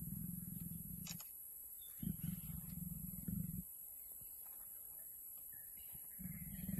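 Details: Low, throaty growling from a mating leopard pair comes in separate bursts of one to two seconds, each a fast pulsed rumble, separated by quieter gaps with faint background noise.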